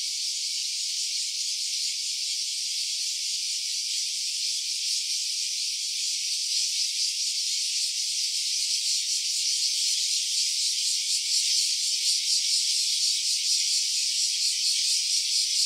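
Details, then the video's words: Cicada sound in stereo from an OPPO Reno A phone: a long, high, rasping drone that grows a little louder and more pulsed in its second half, roughly once per second, with no other sounds. "Cicada's voice."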